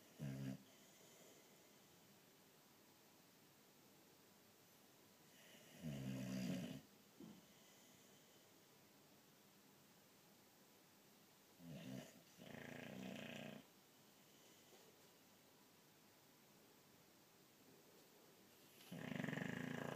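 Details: Sleeping boxer dog snoring like crazy indoors: three separate rough, buzzing snores spaced several seconds apart, each about a second long, with quiet breathing gaps between.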